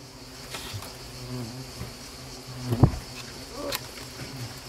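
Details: Asian hornets during a small attack at Nîmes; a low droning buzz rises and falls as insects pass close, peaking in a loud burst near the third second, with scattered clicks.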